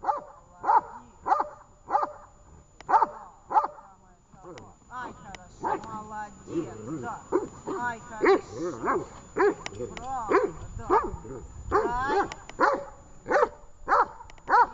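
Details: Tash the dog barking while training in Horlivka, 18 August 2019: fast runs of short repeated barks at the start and end, with a person talking over a looser stretch of barks in the middle.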